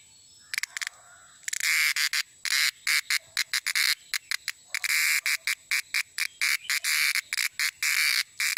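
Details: Cicada, known as cheeveedu in Malayalam, which sings at evening time or in rainy weather; harsh, loud broadband buzzing in rapid bursts of uneven length broken by short silences, over a faint steady high whine.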